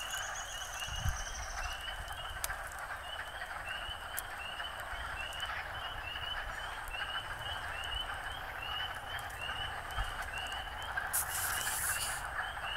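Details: First frog chorus of 2013, outdoors: many frogs calling together in a dense, continuous trilling chorus, with short pulsed notes repeated steadily above the mass of sound, plus a few brief knocks and a burst of noise near the end.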